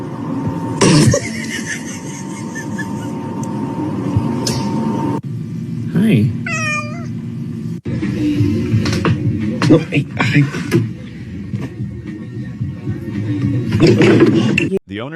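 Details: Domestic cat meowing in a home, a short wavering rising-and-falling meow standing out midway, with human speech, background music and bumping household noises throughout.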